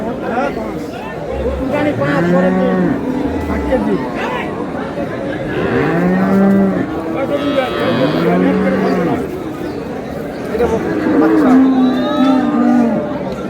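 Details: Cows and calves at Ambari cattle market while buyers discuss milk yield: many deep, drawn-out moos from several animals overlap, with crowd noise and talking throughout.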